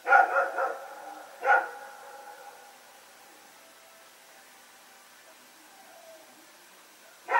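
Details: Rex and a companion dog barking during a night of running around, 21 September 2018, Pyrga: a rapid cluster of barks, one more a second later, then silence before a final bark at the end.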